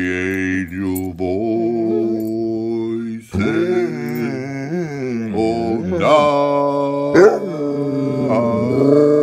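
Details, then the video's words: Sherman, a basset hound, howls along to the Christmas song "Ho Ho Ho": long, wavering, tonal howls that rise and fall with sudden breaks, over a person singing and background music. "Basset hound singing Ho Ho Ho"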